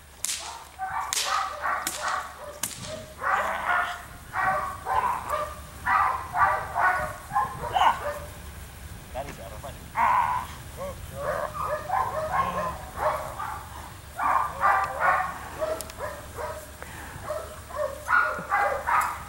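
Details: Barking from a female Belgian Malinois on the attack in civil drive training: rough, forceful barks repeated rapidly and irregularly, more than two per second at times, with sharp snapping cracks and some human voices.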